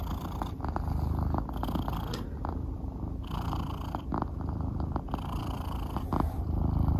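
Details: Soonmoo, a pet cat, purring as it follows its owner around in the morning before he heads to work; a continuous low rumbling purr with soft rhythmic pulses and brief rustling noises.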